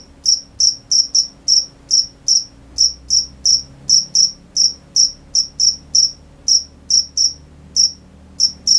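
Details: Night-time crickets chirping in a brisk, slightly uneven rhythm of short high pulses, occasional brief gaps between chirps, over a soft low background hum.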